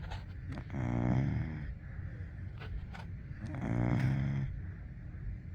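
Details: Golden Retriever puppy asleep, letting out two drawn-out, vibrating snores about three seconds apart, low and rough with quiet breaths in between.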